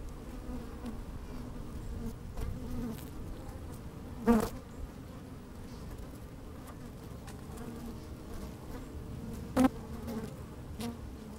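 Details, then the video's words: Working honey bees in an opened hive on a sunny day, microphone lowered into it: soft steady hum, with two sharp loud buzzes as bees pass close, about five seconds apart. "Open Beehive - One Hour Video and Audio"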